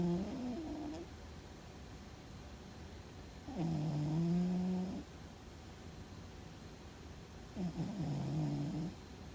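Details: Fuzzy the cat, asleep and dreaming, snores in deep, droning pulses: three low harmonic breaths, the middle one loudest and steadiest, arriving about every four seconds with faint room hush between them.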